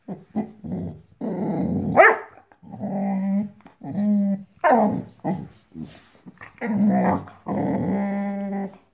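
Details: Female Boxador puppy, five months old, indoors, growling at her new Pinky Pig toy: a run of low, rough, rumbling growls in bursts of one to two seconds, separated by short gaps, with a few higher yelping edges.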